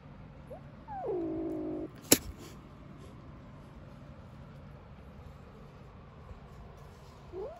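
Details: Three-week-old kitten, from a litter of five born in a small garden, gives a drawn-out, steady, harmonic mew lasting under a second, then a sharp click; a brief rising cry follows near the end over quiet background hum.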